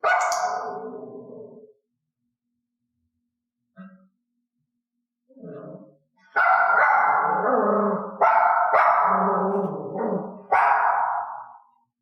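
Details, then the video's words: A mixed-breed dog barking on cue during clicker training; barks she offers without the cue go unrewarded. A loud bark, then two faint short sounds, then a run of long, strained, harmonic barks, with soft music under them. "i gave the cue and then clicked the resulting bark the dog must learn that reinforcement only comes from this behavior"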